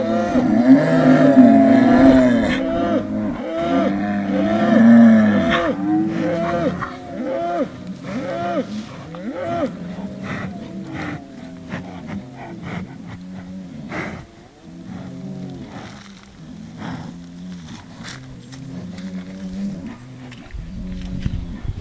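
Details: Highland cattle bulls vocalising with wookie-like sounds: loud moaning calls early on, fading into a long run of quicker, softer rhythmic grunts repeated several times a second, with clicks and knocks in the background.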